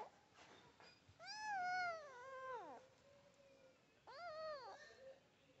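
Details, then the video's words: A tiny baby kitten meows twice, loud and clear: a long drawn-out cry that wavers then slides downward, then a shorter arched meow, with a faint background hum. "Tiny Baby Kitten Meowing"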